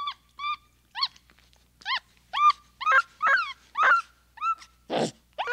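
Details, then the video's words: Capuchin monkey giving a series of short, arched, harmonic chirps, each rising then falling, spaced about half a second apart and growing louder, ending in a brief harsh rasping burst. "1 Hour of Monkey Noises | Monkey Sounds | Capuchin Sound"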